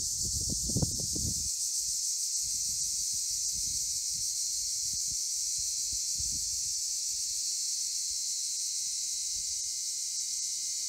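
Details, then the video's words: Steady shrill droning of cicadas in Cyprus's Akamas National Park, a constant high buzz with brief low thumps and rustling in the first seconds. "Cicadas in Akamas National Park in CYPRUS"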